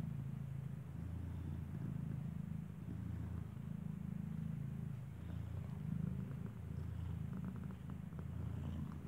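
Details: Nursing mother cat that keeps hugging her unopened-eyed newborn kitten purrs in a constant low, rapidly pulsing rumble, steady throughout with only faint scattered rustles.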